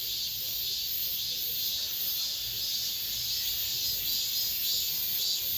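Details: End-of-summer cicadas calling within an apartment complex: many insects merge into one bright, sizzling drone, pulsing slightly louder and softer in a steady rhythm throughout.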